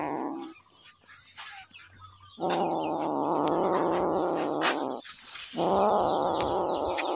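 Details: Hungry little kitten crying insistently with long, loud, buzzy meows, each held for around two seconds, separated by brief pauses and light background clatter.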